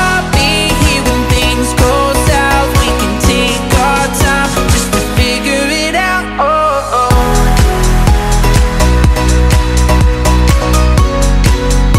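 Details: Loud pop music with a steady beat and sung melody fills the whole stretch.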